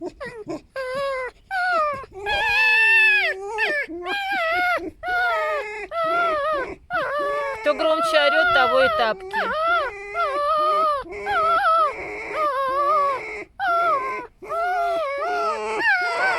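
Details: Female pet fox rescued from a fur farm, squeaking loudly in a contest over who makes the most noise and takes control; dense sequence of wavering, rising and falling whines and yelps, with human speech over them.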